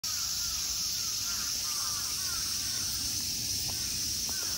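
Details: Summer insects in the temple park of Ikegami Honmonji, Tokyo, Japan: a dense, unbroken high-pitched shrilling drone fills the air, with crows cawing and people's voices faintly underneath.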